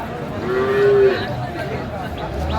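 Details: Sahiwal bull calf at a Saturday cattle market, 16 March 2025, linked to a farmer from Kurigram; a short, steady mid-pitched moo lasting about half a second over market chatter.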